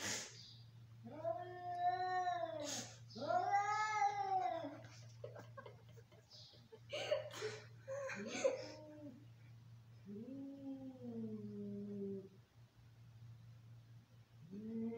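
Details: Angry domestic cats fighting: drawn-out wavering yowls rise and fall in bending arcs, then shorter harsh cries and a lower moaning wail, all over a steady electrical hum indoors.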